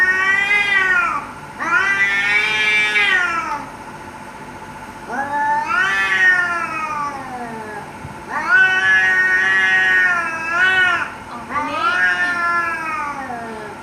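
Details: Domestic cats fighting and threatening each other: four drawn-out, wavering yowls, each one to three seconds long, rising and falling in pitch with strong harmonics, separated by short pauses.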